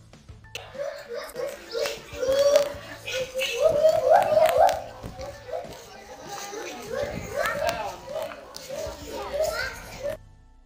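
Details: White-handed gibbon; territorial hoots; defending territory by warding off other gibbons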